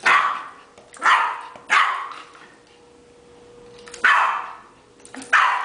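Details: Yorkshire terrier playing with a ball with its family, giving loud sharp barks in bursts about a second apart, then a pause before two more barks; a steady faint hum runs underneath.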